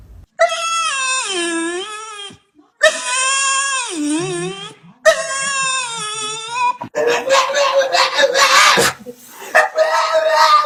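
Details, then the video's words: Funny pet dog sounds: three long drawn-out wailing howls, each dipping and rising in pitch, then rougher, noisier whining cries toward the end. "Dogs Funny Sounds"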